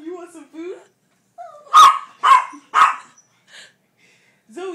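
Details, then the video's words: Small four-pound pet dog demanding food, three sharp high barks in quick succession between a person's coaxing speech about food. ""It's my food! And I want it now!""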